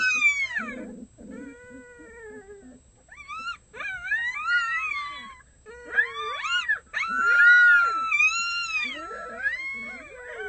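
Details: Six red wolf pups, a day short of one month old, howl with adults in the early morning at a wolf conservation center. Several overlapping high, wavering howls and yips rise and fall in pitch, with brief gaps between bursts.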